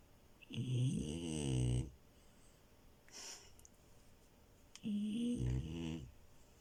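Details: French Bulldog puppy Milo sleeping on a bed snores twice, each a drawn-out, wavering, guttural rumble about a second long, separated by a soft breath in a quiet room.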